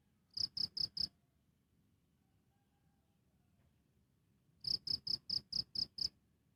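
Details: Cricket recorded directly, chirping in two bursts: four sharp high pulses, a pause of over three seconds, then six more evenly spaced chirps; quiet background.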